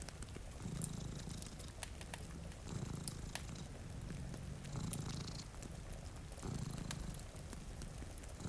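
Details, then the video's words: Two cats asleep before a rain-streaked window near a crackling fire; deep, steady purring rises and falls with each breath about every two seconds, beneath rainfall hiss and sharp fire crackles. "Purring Cat"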